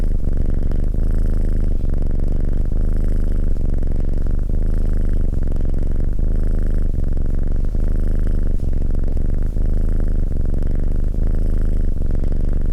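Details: A domestic cat keeps up a loud, even purr, a low buzzing drone pulsing in smooth breathing cycles of roughly 0.8 seconds throughout, with no other noises present.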